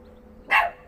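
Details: Wilma, a pet dog, barking at nothing: a single short, sharp bark bursting out midway through otherwise quiet surroundings.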